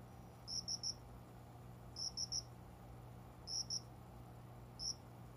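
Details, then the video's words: Cricket singing shortly after 5 a.m. at dawn among small plants by a closed indoor window in summer; high, bright chirps in triplets repeating roughly every one and a half seconds over a steady low hum. "虫の鳴き声 この虫の声は鈴虫のかな？コオロギ？"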